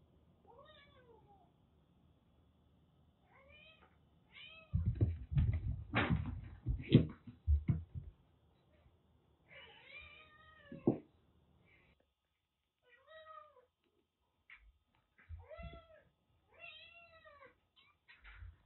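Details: Rescued kitten recovering from cat flu, found soaked in heavy rain in western Japan and kept indoors with a much bigger cat, gives several harmonic rising-falling meows in short series, with loud thumps and rustling midway through.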